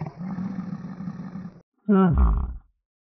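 A domestic yak gives a low, rough rumbling grunt lasting over a second, then after a brief pause a louder, deep grunt that drops in pitch.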